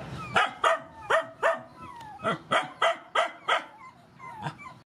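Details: Mother dogs and puppies at feeding time, rescue dogs: a run of about nine short, yelping barks, one every half second or so, with faint whimpering between them.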